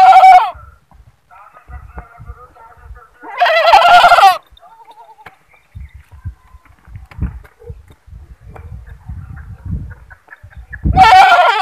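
A goat gives loud, harsh, wavering bleats, three screaming calls spaced several seconds apart.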